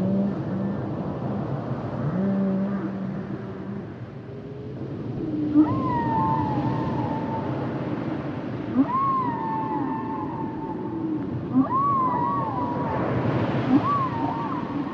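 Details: Humpback whale song: low droning moans give way to drawn-out wailing cries that rise, hold and bend, repeated about every three seconds, with faint clicks over a rumbling sea background.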